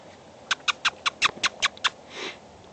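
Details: Shiba Inu puppies playing in a yard give a quick run of high, squeaky yips, then a soft breathy rasp.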